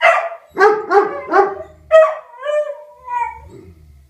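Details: Rufus the Beagle and Axle the German Shepherd howl at a tornado siren: three quick baying yelps, then a sharp cry easing into long, wavering, falling howl tones that fade toward the end.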